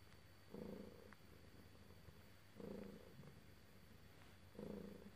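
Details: Pet cat purring contentedly as it is stroked: three soft, low, vibrating purr phrases recur roughly every two seconds, separated by near silence with faint background hiss.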